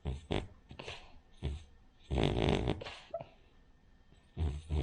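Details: Rin, a Cavalier King Charles Spaniel, snores in her sleep: short, throaty, rattling snorts and one longer grinding breath, separated by soft gaps.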